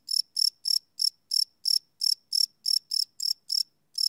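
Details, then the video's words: Crickets at night, live recording on a Sony PCM D100: loud, bright chirps repeated about three times a second, each a short shrill burst, nothing else audible. "Cricket Chirp Sound - Cricket Sounds at Night"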